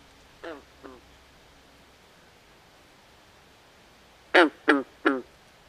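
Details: Swamp frogs at night give two soft, nasal, duck-like croaks, then a pause and a louder burst of three quick rasping quacks near the end, against a quiet background.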